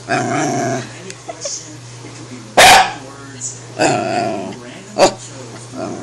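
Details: Pet corgi barking while its owner talks to it at home, a playful back-and-forth 'debate'; one sharp loud bark near the middle and a shorter one later, with the person's speech filling the gaps and a steady low hum throughout.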